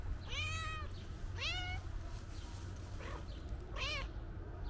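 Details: Calico cat meowing loudly, seemingly wanting to tell its owner something: three clear, drawn-out meows, the first two falling slightly in pitch and the last rising then falling, plus a faint short mew between them, over a steady low rumble.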